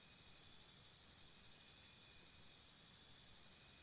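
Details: Crickets at night beside a campsite: a steady high, thin ringing tone, with a run of rapid, evenly spaced pulsed chirps coming in over the last second or so. The background is otherwise quiet.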